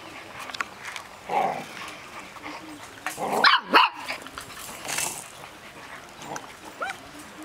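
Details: Six-week-old Golden Retriever puppies from a breeder's litter, confined in a cage, give high, thin whines and a couple of sharp yelps.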